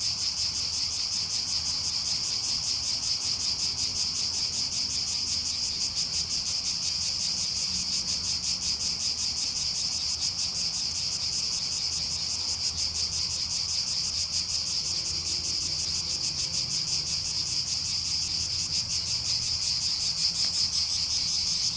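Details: A summer chorus of many cicadas in Agios Kosmas, Helliniko, Athens sings in a dense, shrill, high-pitched buzz with fine rapid pulsing, holding even loudness throughout over a faint low background rumble.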